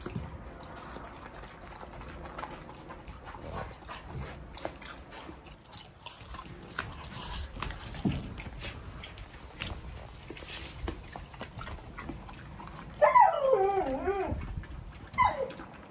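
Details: Canadian wolf pup named Chernika eating a watermelon: a long stretch of wet chewing and slurping, then a burst of high, wavering whines near the end with a final short whimper; a woman talks softly in Russian.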